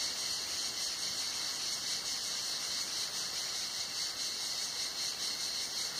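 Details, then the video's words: Cicadas singing on a hot summer day at Tenuta Zimarino, heard from under a mulberry pergola: a dense, continuous high buzzing chorus with a faint rhythmic pulsing, steady throughout with no other clear sounds. "il canto delle cicale"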